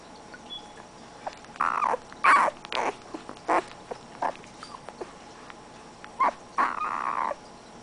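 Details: {'caption': 'Siberian Husky puppy, born in a 2010 litter, making short, irregular yelping yips and whimpers with gaps between them, a couple of longer whines near the end.'}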